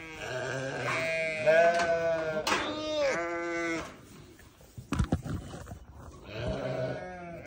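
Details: Bleating newborn lambs: a run of overlapping, quavering bleats for about three seconds, a few sharp clicks and knocks, then another bleat near the end.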